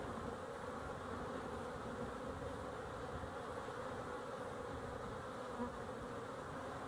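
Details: Honey bees filmed on 12-11-23, a steady low droning hum of many insects holding level throughout with no breaks, energy concentrated in the low and middle range.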